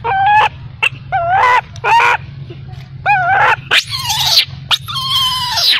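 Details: Crying of a baby macaque abandoned by its mother: short wavering harmonic wails, then longer harsher screeching cries toward the end.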